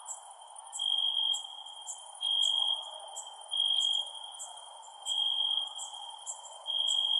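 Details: Crickets at night: a steady high ringing tone swells into louder pulsed bursts about every second, six bursts in all, with faint higher ticking chirps above and a soft hiss beneath.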